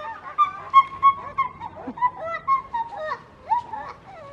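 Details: At Novosibirsk Zoo on 7 August 2023, a pair of pileated (Cambodian) gibbons, female Lola and male Matai, sing after being given bananas: clear hooting whoops swooping up and down in quick succession, the male joining in.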